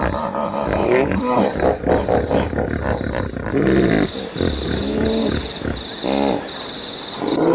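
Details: Hippopotamus calls: a run of deep, harmonic honks and grunting bellows that rise and fall. A loud cluster comes near the middle and a shorter burst near the end, over a steady high insect-like whine.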